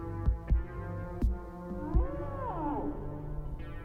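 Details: Humpback whale song recorded underwater in 1979: low grunting pulses, then a long moaning cry that swoops up and falls away.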